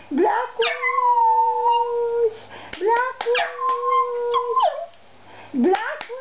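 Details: Lhasa Apso Shih Tzu dog howling indoors in long sustained tones, each opening with a quick upward swoop, holding level and dropping at the end, repeated in three bouts with a person speaking between them.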